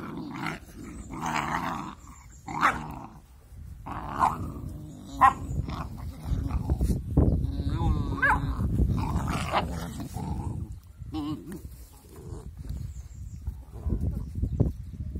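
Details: Two angry-sounding puppies playing together, trading low rumbling growls and snarls almost without pause, with a few sharper yelps and human voices in the background.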